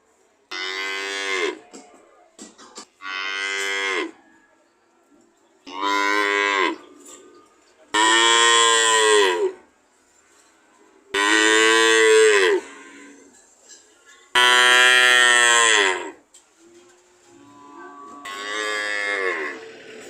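A cow moos repeatedly, with rich, drawn-out calls of a second or so each.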